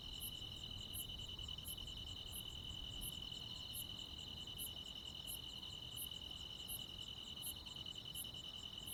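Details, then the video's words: Crickets and other insects on a summer night in the Korean countryside: an unbroken, high, shrill double-toned trill with fainter, higher pulses ticking about three times a second, over a soft low rumble. "시골 야간 귀뚜라미, 벌레 소리"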